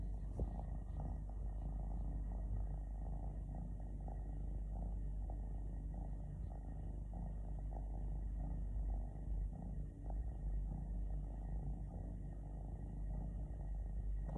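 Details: A relaxing three-legged cat, missing a leg since birth, purrs steadily for fourteen seconds in an even, low rumbling drone that never breaks, with no other sounds.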